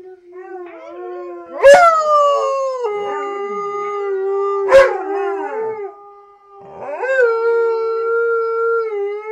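A husky-type dog gives long, tonal howls that swoop up and waver, with a woman speaking softly.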